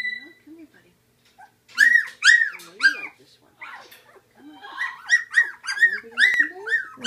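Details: Labradoodle puppies from Seaspray Quinn's litter at feeding time, eating puppy gruel: a chorus of high arching whimpers and squeals, clustered bursts with short pauses, a quiet low voice heard faintly at the start.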